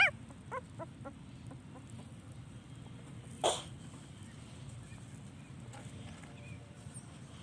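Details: Puppy calling for its absent mother: a few short, high, faint yelps and whimpers spaced in the first second or so, then a single sharp knock, with quiet low background noise throughout.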